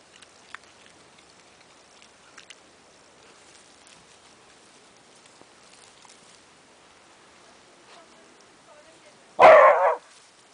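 A Jack Russell Terrier gives one sharp, loud bark after a long stretch of near quiet.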